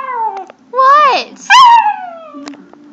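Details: Abu, a Chinese Crested powderpuff dog, howls indoors, singing as he does when songs play. Two loud, drawn-out tonal howls rise and then fall, each under a second long. Soft speech and faint clicks come before and after.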